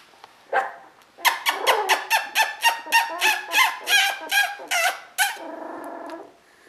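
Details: Koda and Skye's sable merle Border Collie litter, 2014, a rapid series of about fifteen high yelping barks, roughly three per second, trailing off into a lower whimper.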